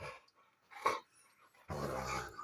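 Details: A family Rottweiler gives a short harsh snarl, then a rough, rumbling growl, angry at its owner and biting at his hand.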